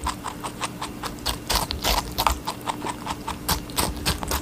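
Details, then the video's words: Rabbit eating watermelon: dense, irregular crisp crunching clicks in quick succession, some bursts louder than others, over a faint steady low hum. "Rabbit eating a watermelon"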